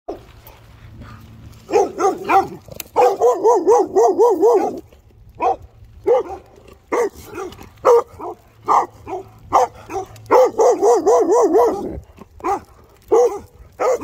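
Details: Guard dog barking in rapid bursts, with sniffing pauses between volleys; a sustained run of quick barks near the start and another later, then scattered single barks.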